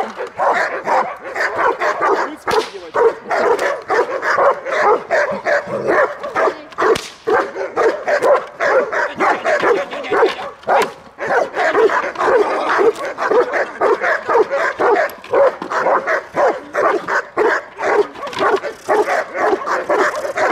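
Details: Belgian Malinois guarding its female owner during protection training at Dyukovsky Park, Odesa, Ukraine: a loud, insistent run of barks, about two per second, continuing without a break for the whole stretch.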